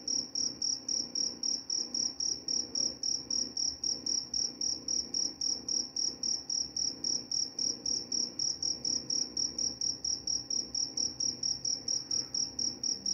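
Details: Cricket chirping steadily, a high shrill pulse repeated about four times a second in an even, unbroken rhythm, with only a faint low hum beneath.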